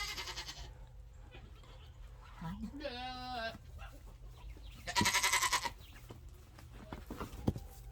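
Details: Nigerian Dwarf baby goats waiting to be fed, one clear wavering bleat near 3 seconds with stacked harmonics, then a loud harsh bleat around 5 seconds, with low background rumble.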